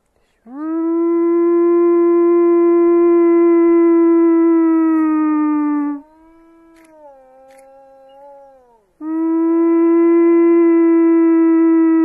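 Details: In Chernobyl, Ukraine, a wolf gives long, steady howls, each held level for several seconds with a rich, mournful tone.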